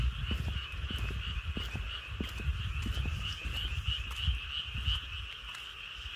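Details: Frogs calling from rice paddies on a midsummer night in the countryside, a dense, continuous chorus of overlapping croaks forming a steady shimmering hum, under heavy low rumbling noise and scattered knocks.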